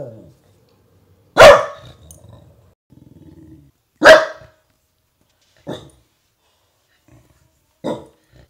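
A Dachshund gives sharp, loud barks spaced a few seconds apart, with softer barks following.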